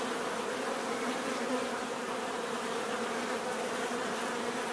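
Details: Swarm of bees humming without pause, a thick even buzz layered in several tones, level and unchanging across the few seconds heard.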